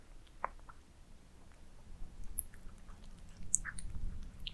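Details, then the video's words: Domestic cats eating minced meat towers inside: scattered moist smacks and crisp little clicks of chewing, growing busier toward the end over a faint low hum. "Cats eating minced meat towers asmr"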